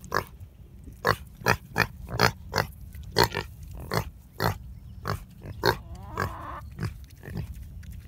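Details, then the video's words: Talkative guinea hog in the morning. Roughly sixteen clipped, low grunts at uneven intervals of about half a second, with a faint squeaky rasp near the middle. "One Talkative Pig"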